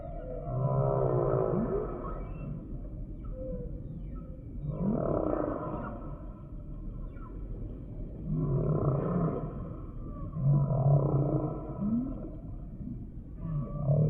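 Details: Humpback whale singing a series of moans and groans, each phrase rising then falling, repeating roughly every four seconds with rough buzzy overtones over constant low ocean rumble.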